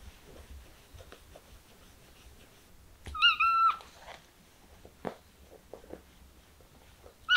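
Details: A kitten gives one clear, drawn-out meow, level then dipping at the end, amid quiet room sounds and soft thumps, with the start of another meow just before the end.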